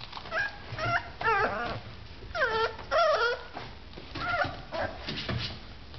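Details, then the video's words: Several wavering whines from Boxer puppies as they wake, high and bending up and down, coming in quick overlapping bursts roughly every second across six seconds, with faint movement noise indoors. "boxer puppies just waking up"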